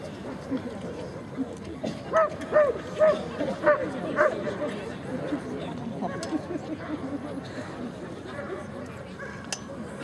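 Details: German Shepherd Cai vom Airmont at the 2011 Sieger Show performance test, giving a run of about six sharp, evenly spaced barks early on, then quieter yips amid crowd murmur and a spoken voice.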